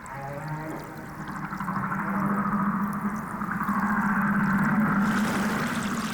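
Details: Humpback whale love song, which lasts ten minutes or more, is repeated over and over and differs from ocean to ocean; a low sustained hum with layered harmonics and wavering moans above, swelling steadily.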